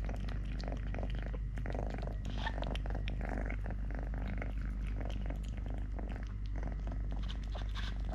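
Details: Three-legged cat Totoshka purrs in an unbroken low drone while eating, playing or wrestling a hand; scattered ticks, rustles and small knocks of handling sit over the steady rumble.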